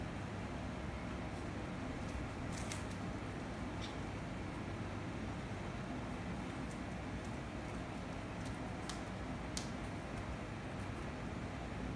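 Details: Steady broadband hiss and low hum like a fan indoors, with a few faint sharp clicks and no animal calls.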